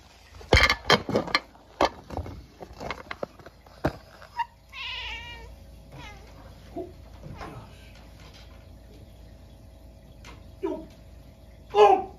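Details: Munchkin cat reacting at midnight to a stink bug that got into the house on a snowy day; sharp knocks and clatter, then a clear wavering meow around five seconds and later short calls.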